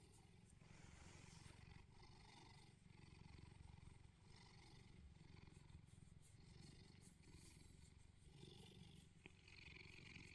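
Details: Low, pulsing purr of Bedford, a neutered male Bengal cat living in England, cuddling in the morning. The fast rumbling throb keeps going without a break, with soft rustles and brief clicks above.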